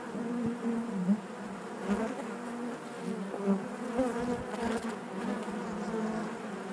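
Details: Inside a honey bee hive, many bees produce a continuous low droning hum with small wavering rises and falls in loudness throughout.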